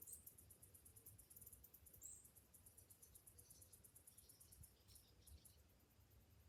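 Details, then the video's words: Morning cicada chorus in summer: a high, rhythmically throbbing buzz that fades somewhat toward the end, with a few short bird chirps and a low background drone. "Morning summer cicadas sounds"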